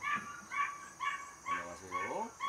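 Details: Home-raised Border Collie puppy, third of the litter, born 5 July 2024 and 77 days old, giving short high yips about every half second while a person talks softly over it.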